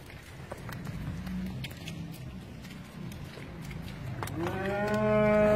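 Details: Friesian cows on a dairy farm in Pakistan, running and jumping about: after several seconds of low rumbling background and scattered knocks, one cow gives a loud, rising, drawn-out moo that swells to the end.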